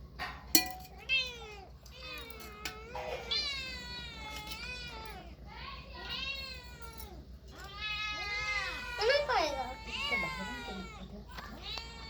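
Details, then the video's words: Several cats and kittens meowing almost continuously, overlapping high mews and longer wavering meows repeated rapidly, some rising and falling sharply, with a few clicks and knocks between calls. "Very Funny Cats and Kittens Meowing Sound Effects Part 3 | Cat Sound"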